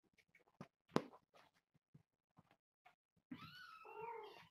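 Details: Indoor play-fight among four young kittens of a calico mother about one year old. Scattered thumps and scrabbling, then one long, wavering, plaintive meow.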